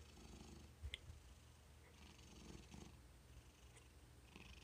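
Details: Quiet, contented cat purr, a soft continuous low rumble with faint breathy texture and a few small clicks and taps in a quiet room.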